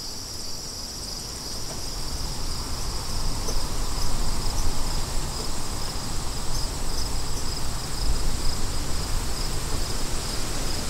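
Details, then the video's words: Steady high-pitched cricket trilling runs unbroken beneath strong gusting wind, which swells and fades in rumbling surges across the lower register. "Crickets & Wind"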